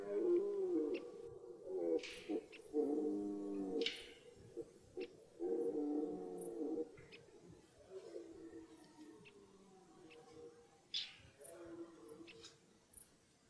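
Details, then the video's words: Red deer stag in rut in a German forest, roaring in a series of grunting, harmonic bellows in bursts roughly every one to two seconds, the later ones weaker and more broken. "Die Hirschbrunft beginnt"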